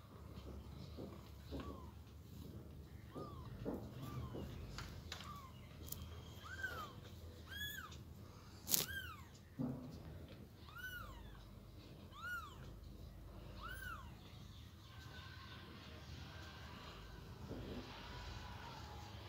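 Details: A Persian kitten gives shrill, arched mews repeated every second or so, rising then dropping in pitch, as its mother moves it from a box to the floor; a few thumps and low room hum underneath.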